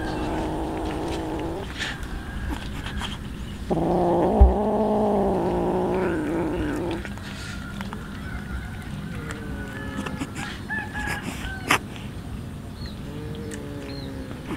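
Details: Hungry street cats, several of them, feeding on raw fish; long harmonic meows, one under two seconds and a louder drawn-out one near three seconds with a wavering pitch, then softer short mews over constant low background rumble.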